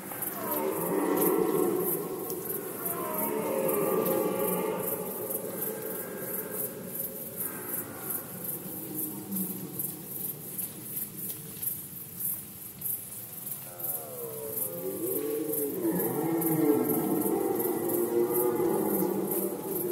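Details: Red deer during the rut season in Poland, 2020: long, hoarse bellows rich in harmonics, each lasting several seconds. One roar fades near seven seconds and another swells from about fourteen seconds, over a faint steady ticking in the background.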